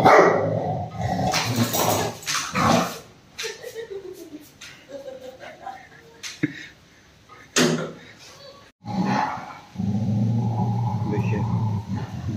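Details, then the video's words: Angry Rottweiler attacking its owner during an attempt to take its ball: several gruff barks come early and again midway, mixed with a man's voice talking and steady low background noise. "Anger of Rottweiler"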